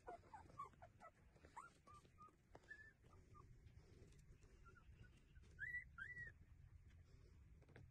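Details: Puppies, apparently street dog pups, nursing from their mother, giving faint, thin squeaky whimpers in short scattered bursts, a few louder rising-falling squeals near the end over low rumbling background noise.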